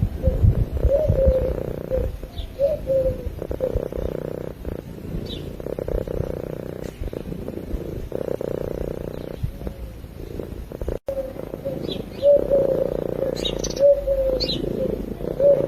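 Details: Cat purring in its sleep, recorded with a microphone: a continuous low, buzzing rumble that swells and fades in long breathing cycles, with one short dropout and faint higher squeaky tones near the end.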